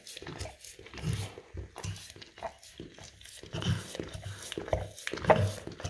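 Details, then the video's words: English cream golden retriever licking peanut butter spread on a rough tile floor indoors; wet, irregular slurping laps in uneven bursts with short pauses, close and quiet room. "Dog Licking Peanut Butter Off Rough Tile Floor"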